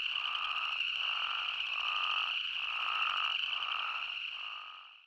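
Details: Spadefoot toads from Arizona in full chorus, their rhythmic bleats pulsing about every 0.8 seconds above a constant high trill, the whole sound fading out at the end.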